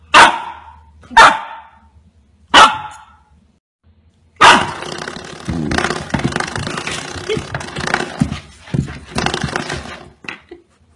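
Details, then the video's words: Golden Retriever puppy, very excited, barking with all its strength: three sharp, high barks about a second apart, then after a pause a long, dense stretch of loud, harsh, noisy sound with pulsing bursts that fades near the end. "ゴールデンレトリバー 犬 鳴き声 子犬が全力で吠えて大興奮するものとは"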